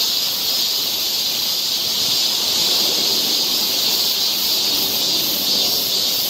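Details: Cicadas singing in a summer forest in Seoul, Korea, a high, even, buzzing drone that swells slightly midway and never pauses.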